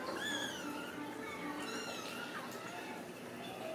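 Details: Ragdoll kitten at a home cattery in central Kansas, stuck up high and being coaxed down, gives thin, high mewing cries that rise and fall in a faint sequence, with a woman talking softly nearby in a room.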